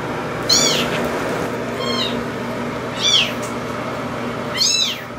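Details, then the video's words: Two-week-old bottle-fed kittens abandoned by their mother, calling at feeding time: high, arching meows repeated about every one to one and a half seconds, four clear cries over steady room hum. "2 weeks old - Time to eat!"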